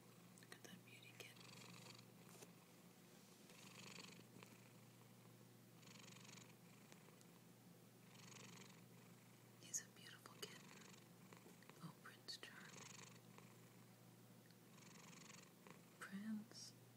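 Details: Domestic cat named Prince, asleep on top of a computer indoors, snoring: soft rhythmic breaths roughly every two seconds, each a broad hushed rasp, with a low steady hum and a woman murmuring affectionately.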